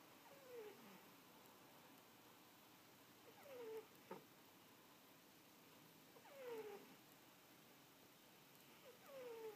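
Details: A domestic cat napping indoors, giving squeaky snores: short descending squeaks with a breathy rush, repeated roughly every three seconds over a quiet room hiss.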